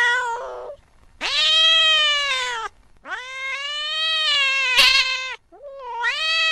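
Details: Mouse-chasing cat at night: a short cry followed by two sustained, harsh yowls of about one and a half to two seconds each, then another rising wail beginning at the end.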